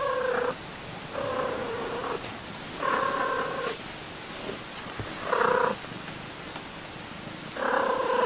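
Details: A domestic cat gives short, rolling trills, a vibrating greeting made outwardly (unlike a purr) when happy or content, such as when its owner returns home.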